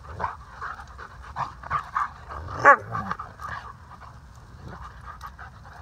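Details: Alaskan Malamutes Waldo, a rescued male, and Aspen, a playful female alum of Moonsong Malamute Rescue, romp together in August 2019. Steady panting and low huffs build to one sharp, yelping whine near the middle, then quieter breathing.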